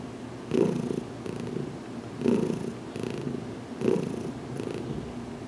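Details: Heidi the cat, newly settled over two weeks, purring contentedly under a gentle head massage in a closet; a low drone swelling three times, roughly every one and a half seconds.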